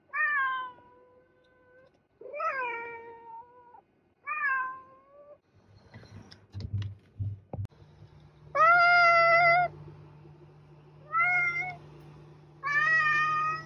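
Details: Cat meowing repeatedly: three shorter falling meows, a stretch of rustling and handling noise with a low hum, then three louder harmonic meows, each about a second long.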